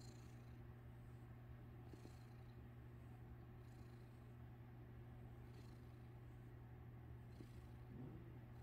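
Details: Purring domestic cat with someone playing with its tail; an unbroken low rumble with soft, rhythmic breathing rustles over it.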